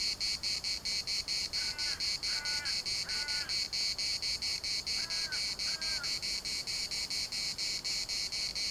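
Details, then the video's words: Cicadas in a municipal park in Larnaca, Cyprus, with ravens calling in the distance and wind rustling: a dense, high buzzing chorus pulsing rapidly and steadily throughout, with a few short lower harmonic calls laid over the middle. "CICADAS at the municipal Park Larnaca"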